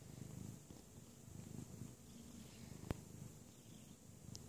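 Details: Russian Blue/Persian tomcat, now a father, suckling from his mother indoors: quiet, continuous low purring in rhythmic rumbling pulses, broken by one sharp click, with a thin high background hiss.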